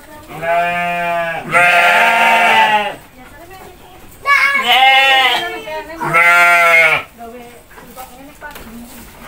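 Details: A goat being fed gives loud, drawn-out, quavering bleats, three main calls around two seconds apart, with a family feeding the animals nearby.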